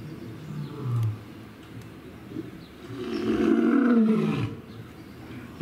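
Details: Lion giving a single drawn-out, rough roar that swells mid-clip and then fades, after a quieter low rumble near the start.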